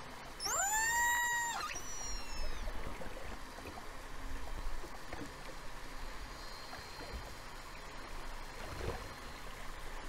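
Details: A killer whale off South Africa, in False Bay on 26 January 2021, gives one bright, harmonic call that sweeps upward, then holds steady before fading; among the first known recordings of killer whales from South Africa.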